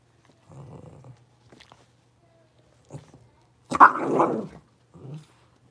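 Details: Blenheim Cavalier King Charles Spaniel puppies, a litter of five born at New Year's, indoors after moving to a bigger puppy pen: a low rumbling growl, a few soft yips, then one loud harsh bark and a short closing growl.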